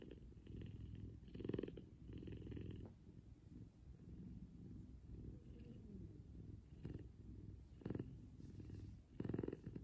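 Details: Big F2 Savannah cat Kumba cuddling with its owner in the morning and purring loud; rumbling purr with sharp louder bursts near 1.5, 8 and 9.5 seconds, quieter steady stretches between.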